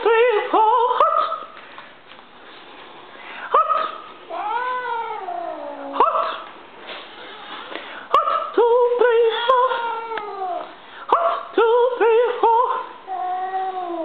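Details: Pet cat Stinky, a female, protesting the military cadence her owner chants. She gives a run of wailing, caterwauling meows, including a long descending yowl near the middle, with short pauses between bursts and a quiet room behind.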